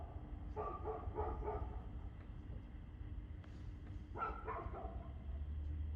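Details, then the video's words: Dog at 6:02 pm on 2/6/2024 letting out rapid strings of barks, one volley near the start and another near the end, partly masked by a loud low rumble like passing traffic. "Barking Dog"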